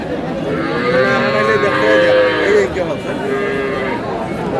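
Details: At Aftabganj haat, Dinajpur, a cow offered for sale alongside her calf gives one drawn-out moo lasting about two seconds that sags in pitch at its end, with market crowd talk continuing underneath.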